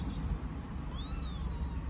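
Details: Stray kitten living on a street in Istanbul, calling for its mother cat: one thin, high mew that rises and then falls, about half a second long, over a steady low rumble of street noise.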